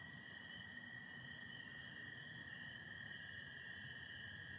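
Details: Night chorus of spring peepers in Michigan, April 2025, a continuous high-pitched ringing band with one unbroken lower American toad trill running through the whole moment over faint low background noise.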